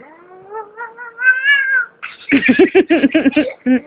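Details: Domestic cat giving a long rising, harmonic meow, then a rapid burst of short choppy yowls, about eight in quick succession.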